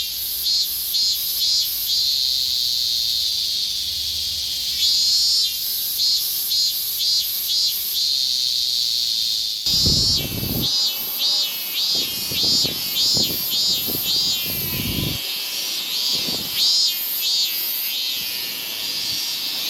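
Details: Summer chorus of higurashi cicadas in Japan, with a constant shrill drone and trains of quick high pulses. The pulses grow denser in the second half, mixed with low thumps and knocks.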